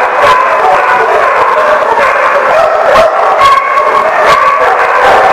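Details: Dogs kept together at The Barking Lot, 30 June 2014, bark and yelp nonstop. Layered high-pitched yips and wavering howls blend with sharp, repeated barks into one thick, unbroken wall of sound.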